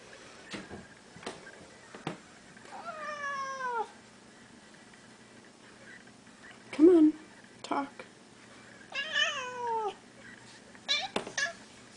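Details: Indoor pet Siamese cat, one of a blue point and seal point pair, meowing to its owner: two long wavering descending meows about a second each, a short squeak between, with the owner talking and rustling sounds in a small room.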